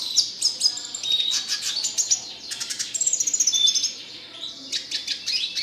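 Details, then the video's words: Red siskin producing an energetic, nonstop song of dense high chirps, buzzy trills and quick repeated notes, with hardly a pause throughout. "RED SISKIN CLASICC MEWAH GACOR 24 JAM"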